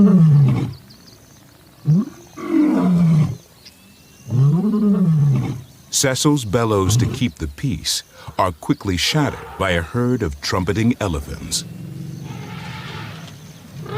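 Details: Lion in a documentary about a pride and Cecil's legacy, heaving out three low arching roars in the first six seconds, followed by a man narrating over faint outdoor ambience.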